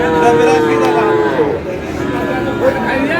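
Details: Friesian and crossbred bull calves at Aftabganj cattle market in Dinajpur, Bangladesh; a drawn-out, steady harmonic moo lasting over a second, then fading under men's bargaining voices and market chatter.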